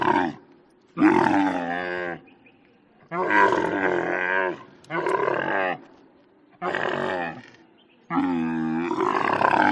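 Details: Camel giving six loud, rough, groaning roars, each lasting about one to one and a half seconds, with short pauses between them and the last one running on to the end.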